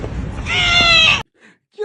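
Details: Cat giving one drawn-out, tonal meow, steady and slightly falling at the end, lasting under a second, after a brief rustle; a person's voice then begins indoors, saying "Don't do that."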